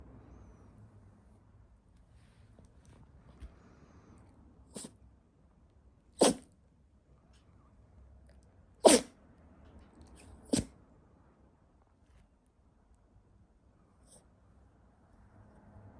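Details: Toy poodle lying with its belly exposed, sneezing repeatedly while its belly is being rubbed: four sharp, breathy bursts spaced a few seconds apart, then a faint fifth near the end, over a quiet indoor background.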